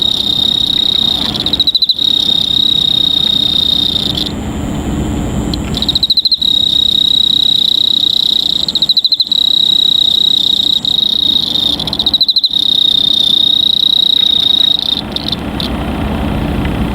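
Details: Cricket singing a steady high-pitched trill, continuous for several seconds at a time and broken by brief pauses about every three to four seconds, over a low background rumble.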